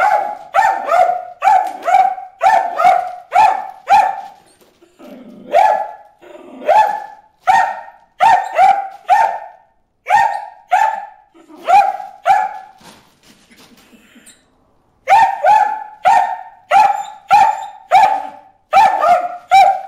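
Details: Bruce the dog barking at fish in a water hole: a long run of sharp, harmonic barks with tonal centres, fired in quick bursts of three or four, with brief pauses and a short quiet gap near the end.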